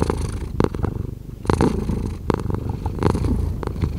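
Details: Cat purr heard up close as a thick, low vibrating rumble with clear breath-by-breath swells, plus several short scraping rustles.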